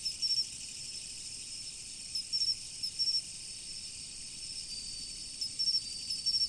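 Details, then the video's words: Autumn insects by a river keep up a continuous high-pitched hiss of calls, overlaid with crisp triple-pulsed chirps that arrive in scattered groups. "秋の虫の音、川の流れ。The sound of insects in autumn, the flow of the river."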